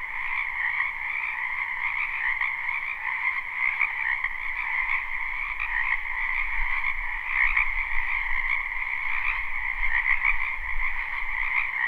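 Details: Spring wetland frogs in a live, unlooped recording, croaking together in a thick, unbroken chorus of trilled notes stacked in two bands, with a faint low rumble underneath.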